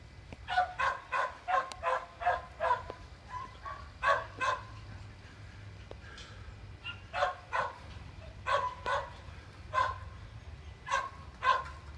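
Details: Gordon Setter puppy having fun outdoors, more interested in other dogs and not coming when called; sharp, bright barks repeat in quick bursts of two to five, about fifteen in all, over a steady low background hum.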